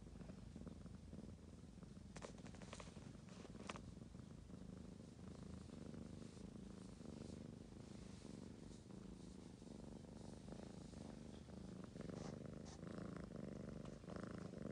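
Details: Ragamuffin cat engaging with a sleeping daughter, giving a long steady purr; low pulsing rumble throughout, with light rustling and faint clicks.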